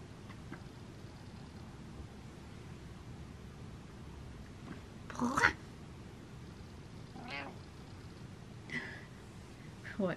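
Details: Domestic cat giving several short meows spaced a few seconds apart, the first loudest and rising then falling, over a steady hiss of background noise.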